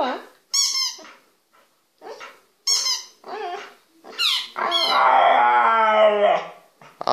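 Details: Pet dog indoors 'talking' in a small room: a run of whiny, yodel-like vocal phrases rising and falling, ending in a long, sustained, wavering moan, with a person's voice exclaiming in between.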